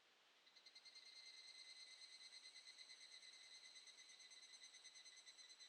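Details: Evening cicada (Tanna japonensis) singing in the Shin'etsu mountains, Japan, in mid-July, summer: a high, ringing trill pulsing in rapid, even waves.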